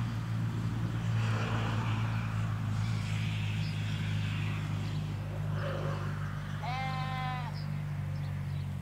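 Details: Ewes and lambs in a field in the Hampshire countryside, recorded in stereo beside a hedge: after several seconds of low traffic rumble and faint background sound, a single short, higher-pitched quavering bleat comes late in the clip.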